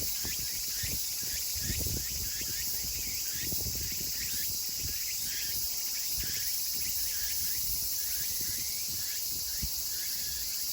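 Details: Chorus of Meimuna opalifera cicadas in Kawagoe, Saitama, Japan, on 24 August 2020, at summer's end: a dense, steady high-pitched hiss overlaid with quick repeated rising chirps, with low rumbling thumps underneath.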